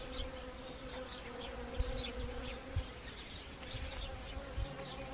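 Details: Autumn hum of honeybees visiting Siberian chrysanthemum blossoms in Gangwon Province, Korea, on 1 October 2020; a continuous, even buzzing drone with a faint higher overtone and occasional brief low knocks.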